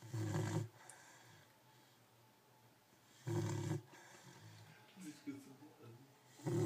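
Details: Sleeping Cane Corso puppy with low, throaty snores, two strong snorts roughly three seconds apart and soft wheezy breaths in the gaps.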